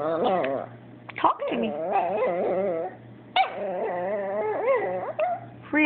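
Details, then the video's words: Abbie the Chihuahua keeps 'talking' indoors, upset that her Yorkie brother grabbed her toy; drawn-out warbling whines and grumbling moans in several long phrases, broken by a brief yelp, over a faint constant hum. "Abbie the Chihuahua Talking and Complaining...AGAIN!"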